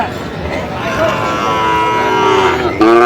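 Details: Young Sahiwal bulls at a market, 25 October 2025: a moo rises and swells near the end, with earlier softer lowing beneath steady talk as buyers and sellers haggle over prices.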